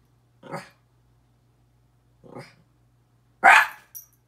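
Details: Miniature Pinscher Petey barks at himself in the mirror: two softer, gruffer barks with a growly edge, then one loud sharp bark and a short yip, over a low background hum.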